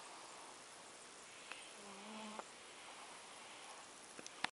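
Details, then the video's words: Single brief, nasal, tonal snore from a fat cat sleeping at Avalon Beach, with light clicks near the end and a quiet hiss throughout. "biki snoring avalon beach cat"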